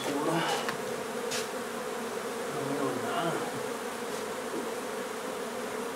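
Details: Honey bee hive in an old Donna, Texas home undergoing renovation, humming steadily as it is removed, with faint intermittent voices and a few light knocks over the drone.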